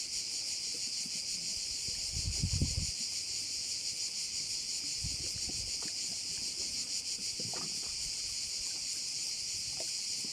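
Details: Chorus of crickets by a bay in Korčula, a continuous shrill hiss-like trill with quick pulses throughout, joined by soft low rumbles of water or movement around two and five seconds.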